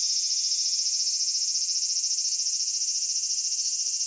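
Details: Japanese summer cicadas at Kitakami's Michinoku Folk Village and Kitakami Tenshochi fill the air with an unbroken, shimmering high-pitched whir, even and unchanging throughout.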